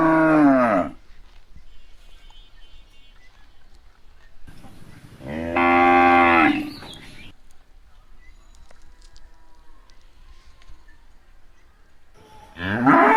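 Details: Cow among cows eating grass lows in three separate drawn-out moos about five seconds apart, each deep and harmonic, with near silence and faint rustling between them.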